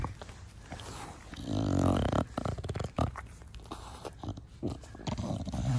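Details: Pet Bulldog Da Vinci, a short-nosed breed, in the garden with its owner: a drawn-out voiced snorting grunt, then quick rough sniffs and huffs, low-pitched and nasal.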